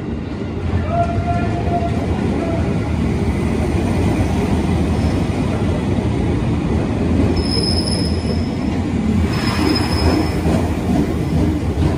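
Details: A passing train rumbles steadily, its wheels giving out high metallic squeals, with no animal voice heard.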